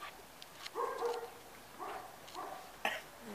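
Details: Eight-week-old Puli puppies giving short, whiny tonal yips, about four brief cries spread over three seconds, with people talking softly nearby.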